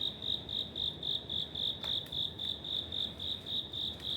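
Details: Cricket living in an apartment building corridor in Wada 1-chome, Suginami, Tokyo, heard in autumn: a steady high-pitched chirp repeated almost four times a second, each pulse clear and ringing, over faint low background hum.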